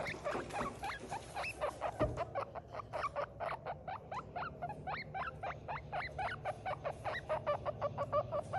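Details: Baby guinea pig crying: a rapid run of short, high squeaks repeated several times per second throughout, over a low steady hum.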